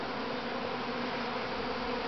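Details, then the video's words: Hundreds of thousands of honey bees swarming outdoors at Grass Lake Sanctuary, Manchester, Michigan, in May 2012, the first swarm from the mother hive; an unbroken, even, humming roar of wings. "Honey Bee Swarm"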